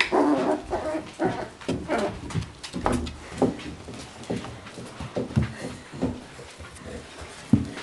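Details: Beagle puppies aged four weeks whimper in short, wavering tonal yelps, repeated irregularly throughout, mixed with soft thumps and rustling in a small room.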